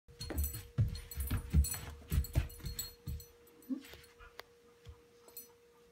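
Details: Bijou, a four-month-old female Great Dane puppy, chasing her own tail indoors; quick rhythmic low panting breaths with soft thumps, fading toward the end, a steady faint hum behind.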